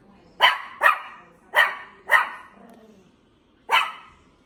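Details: A dog barks five times, sharp broadband yaps, four spaced roughly half a second apart followed by a longer gap before the last bark, with a quiet room between.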